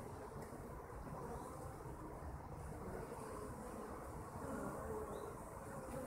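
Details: Honey bees kept by their owners give a continuous, rough, low buzzing that swells slightly toward the end. A few faint, higher, whining notes drift over the steady drone.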